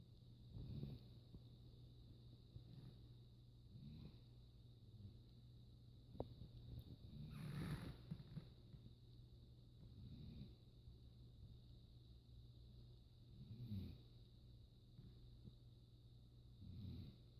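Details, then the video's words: Rain, a hound dog, snoring while asleep at home: soft low breathy rumbles recurring every three to four seconds over a steady low hum, with a faint high-pitched whine running throughout. "Snoring Rain"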